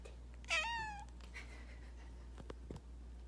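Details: House cat calling as its keeper leaves the bathroom: one loud, bright meow that rises and then falls, followed by quiet room noise and a faint hum.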